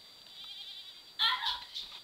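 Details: A young adopted male llama kept as a herd guardian gives an alert call on a December evening while bounding around a backyard, likened to a horse nickering: a quiet tone, then a sudden bright, wavering burst and a fainter echo.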